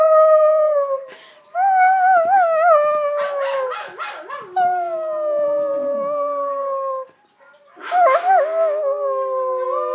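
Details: Several pet dogs howling together, long mid-pitched wavering tones overlapping with bends and quavers, two short gaps of near silence, the chorus rising again after each break.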